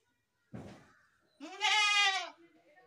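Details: A dull thump is followed by a single loud, drawn-out goat bleat, shaky and nasal, lasting almost a second.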